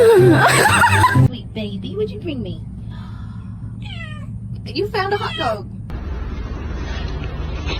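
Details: A cat gives several short, wavering meows, some rising then falling, following a loud burst of human speech at the start, with a low background hum throughout.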